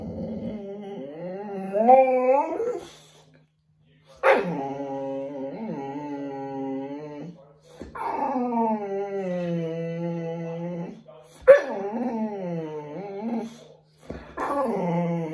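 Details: Bear, a Boxer dog, during a bath and grooming indoors: long, harmonic, whining moans that rise and fall, repeated in drawn-out bouts of several seconds with short breaks, over a steady low hum and a sharp noise now and then.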